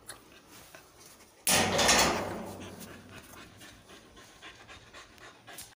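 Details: Female Labrador puppy named Suzi during obedience training, panting in a burst of breathy, broadband huffs that start suddenly and fade over about two seconds, then softer rapid breaths continue indoors.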